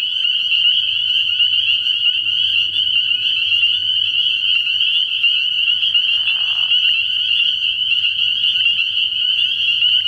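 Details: Spring peepers calling en masse at a frog pond on an early-spring night: a dense, unbroken high-pitched peeping chorus with overlapping piercing notes. A faint low hum lies beneath, and a brief lower burst comes just after six seconds.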